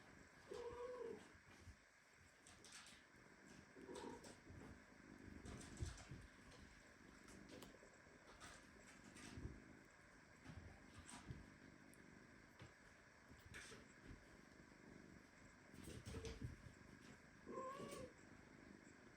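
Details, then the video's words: Premature kitten meowing indignantly while its mother cat hugs it very tightly; several mid-pitched meows with rising-falling contours around 1, 4 and 17.5 seconds, over soft rustling and a faint background hum. "Mother cat hugs premature kitten so tightly that he starts meowing."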